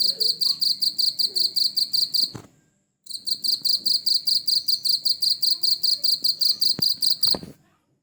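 A cricket chirps in quick, even, high-pitched pulses, about six each second.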